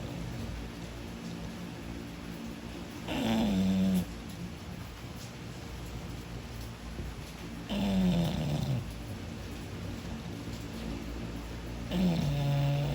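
An English Bulldog snores in deep, rumbling bursts that come roughly every four to five seconds.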